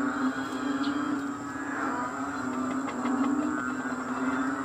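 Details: Many frogs calling together in Kadaruhan during rain at 6 am on May 22, 2022: a dense, continuous chorus of low droning croaks with layered, pulsing overtones and no clear pauses.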